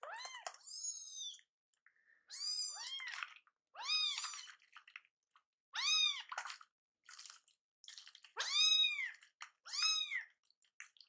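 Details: Rescued baby kittens Kii-chan and Chakkun cry out, angry that their milk and weaning food are delayed; high arched meows repeat every second or two, a few doubled, with light clicking noises in a small room.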